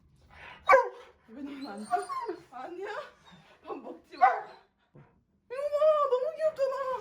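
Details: Indoors, a Dobermann reacts to a loved one's return after a year with short excited barks and yips, then a long wavering whining cry near the end, while people talk and laugh.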